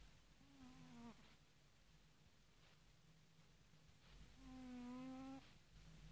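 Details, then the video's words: A domestic cat that has fallen asleep snores: two drawn-out, buzzy, nasal tones, each lasting about a second and roughly four seconds apart, with quiet breathing and a low steady hum between them. "Кот храпит"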